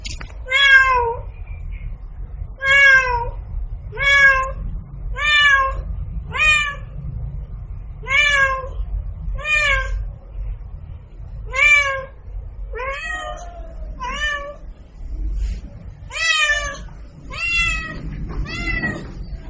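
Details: Domestic cat producing a long series of about fifteen short, similar meows roughly every second, each briefly rising then falling, over a low hum.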